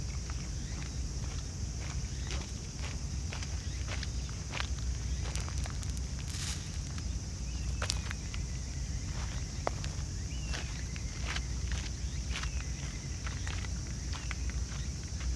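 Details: Raccoon dogs feeding side by side as a family, chewing with dense bursts of crisp crackling crunches and clicks throughout, over a low continuous hum; faint bird whistles sound in the background.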